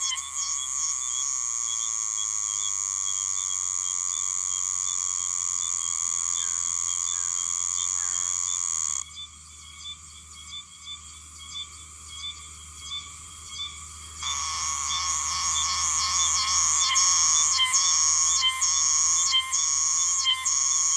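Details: Oshima cicada (Meimuna oshimensis), an autumn cicada of Okinawa, singing while its mouthparts pierce a tree. A loud, steady, high buzzing whine shifts at nine seconds to a quieter pulsed phase, then to louder rhythmic, repeated pulsing from fourteen seconds.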